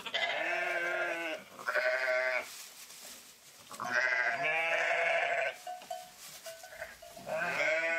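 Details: Sheep bleating in a series of long, nasal, harmonic-rich calls, each lasting about a second, separated by short pauses, with four bleats across the stretch and some quieter low sounds in the gaps.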